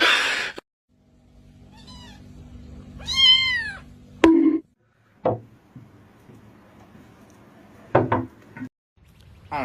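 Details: Domestic cat giving one drawn-out meow that rises and then falls, rich in harmonics and lasting about a second. A faint shorter mew comes just before it, with people talking and scattered knocks and clicks around it.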